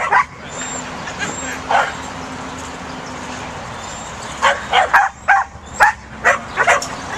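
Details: Pembroke Welsh Corgi puppy at work herding: two isolated yaps, a pause, then a quick run of about eight sharp high barks, over low steady hum.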